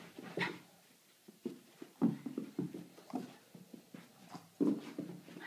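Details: Playful Boston Terrier eager for a game, giving short nasal grunts and whiny snorts, one loud burst at the start and another near the end, with a run of quicker, softer huffs between.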